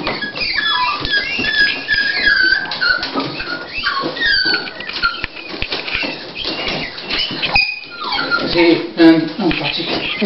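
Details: Indoors, Dolly, a female Toy Pinscher preparing to whelp, gives repeated high squeaky whimpers, short rising and falling whines in quick series, mixed with rustling, handling noises and low human voices.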